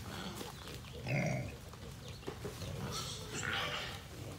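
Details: A big feral boar hog growling toward the recorder at feeding time, when hogs come out in droves; a deep, harsh growl burst, followed by lower grunts and a higher squealing note amid steady background noise.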